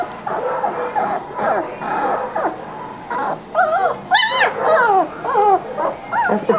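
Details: Three-week-old German Shepherd puppies whimpering and squealing, with high, wavering, rising-and-falling cries repeated in quick succession, rather than barking; faint background music underneath.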